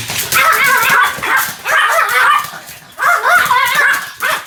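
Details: Sam the Pomeranian in a bout of continuous barking, with shrill, tonal yaps clustered in three loud bursts, each burst holding several rapid barks with brief pauses between them.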